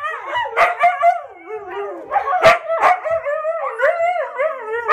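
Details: Huskies howling along to harmonica at home: young dogs aged six months, two and three and a half years, their overlapping wavering howls slide up and down, broken by a few short sharp bursts and yips.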